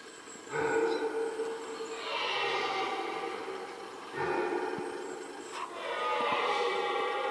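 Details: Red deer roaring during the rut, in the middle of a rutting hollow: long, harsh, drawn-out roars with rich stacked harmonics, swelling and then breaking off, with a second roar starting after a brief pause.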